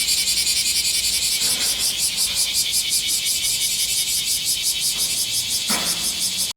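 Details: Bear cicada singing in midsummer: a loud, harsh, high buzzing that pulses rapidly and steadily without a break, filling the whole recording, with faint low background rumble.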